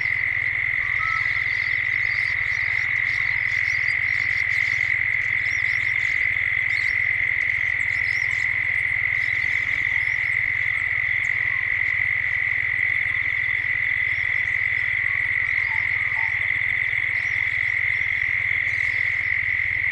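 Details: Australian cicadas in Gippsland at dusk, with birds joining as evening draws in, recorded as a 3D soundscape: a relentless high-pitched buzz runs throughout while scattered sharp bird chirps and short whistles come and go above it.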